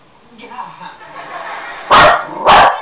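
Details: A female Jack Russell Terrier trained to count gives two sharp, clipped barks in answer to "What's 1 + 1?", while eyeing a boy she thinks has treats.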